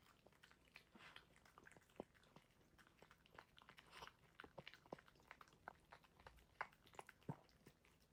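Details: Pet dog eating its food indoors, filmed unedited: irregular crisp crunches and bites, several per second, with soft clicks of kibble in a small quiet room.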